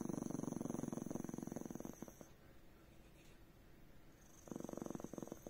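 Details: Small Chihuahua dog growling because it does not want to be petted or touched; a low, rattling, pulsed growl for two seconds, a pause, then a shorter burst, with a faint steady high hum behind.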